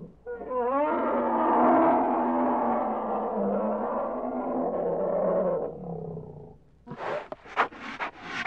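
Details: Bear roaring in one long, harsh, sustained blast with a rough harmonic texture that fades after about six seconds, followed by a few sharp clicking bursts.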